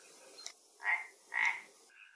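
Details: Frog at a pond in Galicia, Spain, where an Asian hornet has fallen into the water: two nasal croaks half a second apart, with natural ambient sound.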